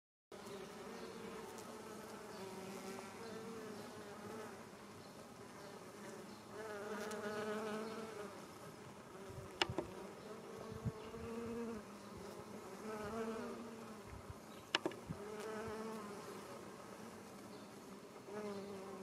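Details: Western honey bee workers foraging for nectar and pollen on English lavender in a sunny roadside garden in Japan, mid-July afternoon: steady droning wing buzz rising and fading as bees hover and move between flowers, with faint clicks.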